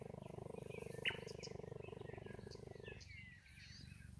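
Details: A captive cheetah at a wildlife centre in Bela Bela, South Africa, purrs in a steady, low, rapidly pulsing rumble that stops abruptly, with birds chirping behind.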